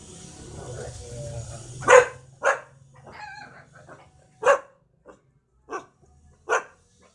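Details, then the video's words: Puppies at a house with many dogs bark at a stranger they are meeting for the first time, confused and scared: four short sharp barks spaced irregularly over several seconds, with a human voice and low background hum between them. "This Puppies Barking To Me, Because Scare Of Me"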